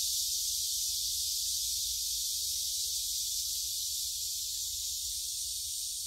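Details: Many cicadas singing in the Gyerim woods of Gyeongju on 16 July 2022, phone-recorded on a forest walk; a dense, steady, high-pitched hissing chorus runs without a break, over a faint low rumble.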